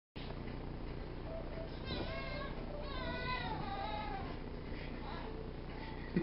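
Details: Charlie, a hungry pet cat that loves food, meowing for food: two drawn-out, wavering meows close together near the middle, then fainter calls, all over a steady low household rumble.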